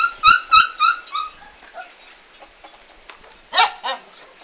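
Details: Komondor on 11 March 2016, big move day: a quick series of bright, descending yips opens, fades into quiet rustling, then one harsh bark and a brief follow-up near the end.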